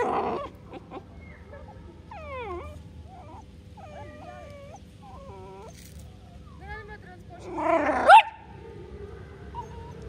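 A Bull Terrier puppy gives a string of high, wavering whines and yips, ending in one louder bark.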